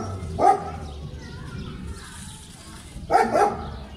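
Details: German Shepherd dog at play in Pakistan, with two short bark bursts about two and a half seconds apart over low background rumble.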